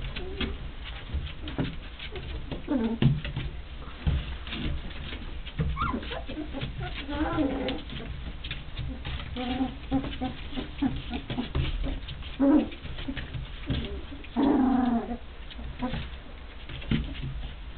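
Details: Rhodesian Ridgeback littermates, not quite three weeks old, barking, growling and pulling ears in play; intermittent thin squeaky growls and short yelps, strongest toward the end, amid continuous bedding rustle indoors.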